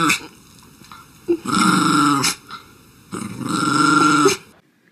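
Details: A pet dog, apparently Tucker, growls and grumbles indoors in two long drawn-out bouts, each about a second and a half, harsh and steady, with a short pause between them.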